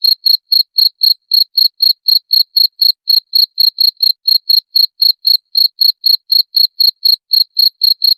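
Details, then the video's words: Chirping cricket, used as a rat repellent: crisp, shrill pulses repeated about four times a second in a tight, regular rhythm, clean and free of any other noise. "SUARA JANGKRIK PENGUSIR TIKUS"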